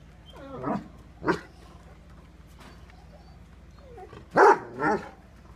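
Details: Angry Great Dane and Rottweiler, two dogs, barking: a few scattered deep barks, two isolated ones early and a loud pair near the end, separated by quiet gaps with low background hum.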